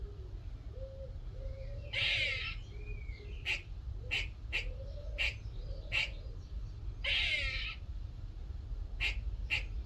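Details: A little squirrel that came into a workshop one morning chatters with sharp clicking chucks, two harsh rasping bursts and soft low squeaks.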